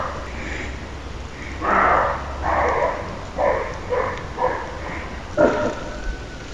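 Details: Rough, husky barking from a male roe deer in Lessinia, several short harsh calls spaced unevenly, the later ones briefer, over steady low background hiss.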